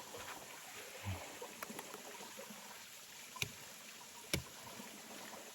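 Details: Soft flowing and trickling water with faint gurgles, broken by a few sharp clicks or knocks, and no animal voice.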